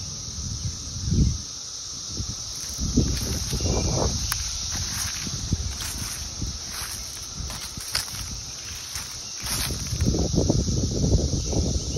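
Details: A cicada in Indianapolis, USA, in summer 2021, drones in a steady, high-pitched shrill buzz that never breaks, over rustling and footsteps.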